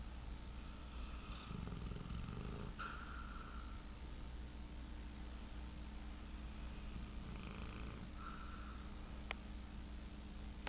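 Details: Sleeping dog Tank snores as he dreams, giving a couple of low, raspy, drawn-out breaths separated by quiet stretches, with a constant faint hum in the room.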